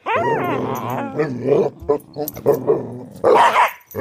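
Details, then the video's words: Playful growling from pet dogs, Karma the corgi and Thor the pitbull, during hide and seek around a bed: a rising whine-like start, then a sustained throaty growl with grunts, ending in a higher yelp. "There's a monster growling under the bed"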